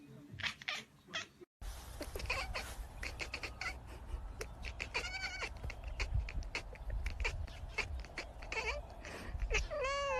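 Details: A domestic cat chatters at birds in rapid, clicking bursts broken by short harmonic meows, with a steady low hum in the background.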